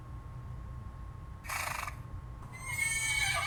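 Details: Horse heard in two bursts: a short noisy blast, then the start of a high whinny with bright descending harmonics over a low steady hum.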